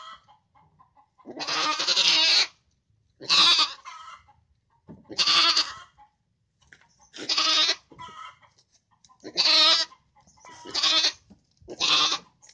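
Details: Young feeder goats in a pen at a farmer's goat-rearing barn in Indonesia, bought for fattening ahead of Eid al-Adha; loud, wavering, nasal bleats repeated about every two seconds, seven in all, with a quieter clucking chicken in the background.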